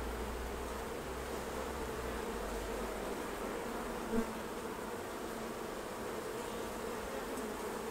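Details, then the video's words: Honey bees at their hives during a honey harvest, a steady dense buzzing hum centred low and mid-pitched, continuous throughout, over a deep low rumble with one brief tap near the middle. "Bee Keeping Honey Harvest"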